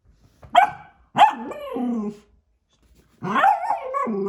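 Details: Cockapoo puppy indoors, excited by a robotic cat toy: two sharp barks rising into drawn-out yelping whines, then after a pause a longer wavering howl-like whine.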